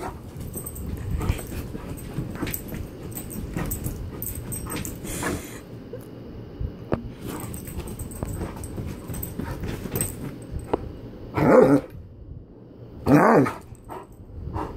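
A Great Dane gives two deep, loud barks after a stretch of low, muffled background noise.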